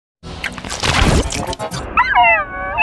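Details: Louie, a Chihuahua, cries; a loud, noisy burst is followed by a high, wavering whine that falls and then trails off near the end.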